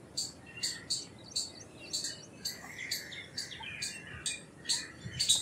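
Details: Rapid chip calls of an Indian palm squirrel: bright, high, clipped notes about every half second, over faint lower trills and a quiet hiss.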